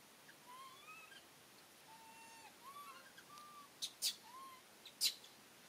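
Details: Monkeys in a scene where Rany blocks food from little monkey Aryan; a series of thin, slightly rising whimpering calls with harmonics, several in a row, followed by sharp clicks and taps.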